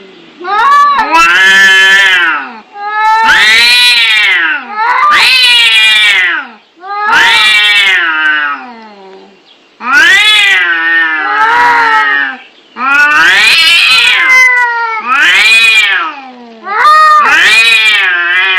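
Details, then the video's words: Fighting, angry domestic cats trading a rapid series of loud wavering caterwauls, each wail about one to two seconds long, rising then sliding down, with short gaps between. "Suara kucing berantem"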